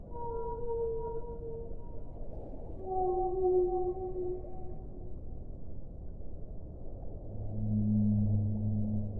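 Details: Whale song: a slow series of long, tonal moans, some held and others gliding gently downward, then a deep, loud low hum near the end, all over a constant low underwater rumble.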